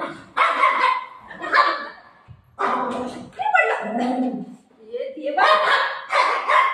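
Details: Golden Retriever playing with its owner at home: loud, rough barks in bursts, broken by a short gap and some softer tonal sounds, with a woman talking between the barks.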